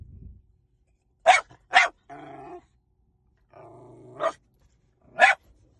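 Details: Puppy or dog giving sharp barks, two quick ones near the start and another after a pause, with low rumbling growl-like sounds between them.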